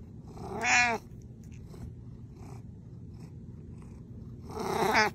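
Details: Pet cat purring indoors, a continuous low rumble beneath two loud drawn-out meows, one at the start and one at the end, each bending up then down in pitch, with faint rustling between.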